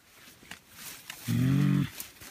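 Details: Wild mountain gorilla of the Amahoro family in Volcanoes National Park, Rwanda, near the top silverback in a displaying, fighting position; one loud, low, buzzy harmonic call lasting about half a second, with soft outdoor background noise.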